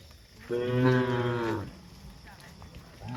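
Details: A cow on a hillside journey through the countryside lets out a single deep, drawn-out moo lasting about a second, full and throaty, then a short start of another call at the end.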